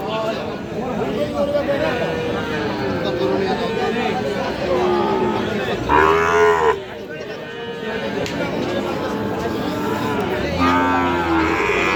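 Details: Sahiwal bull calves at the Aftabganj cattle market on 6 August 2025: one deep, drawn-out moo near the middle rises above constant haggling voices and crowd chatter about prices.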